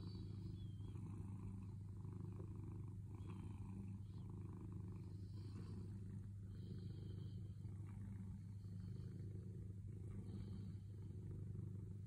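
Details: Sailo, a cat patiently awaiting petting, keeps up a low steady purr, a buzzing rumble rising and falling with its breaths, accompanied by faint quiet background rustles.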